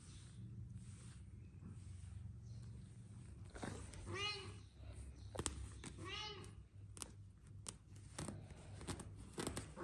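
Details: Aggressive kittens fighting with each other indoors; two drawn-out wavering meows around four and six seconds over a low steady hum, with scattered clicks and scuffling.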